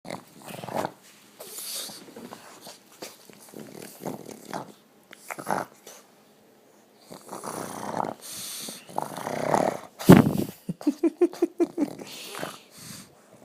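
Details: A pet dog snoring while awake, a habit it always has: rough, snorting breaths in uneven bursts with short pauses. A louder snort comes near ten seconds, followed by a run of quick, rasping, wheezy puffs.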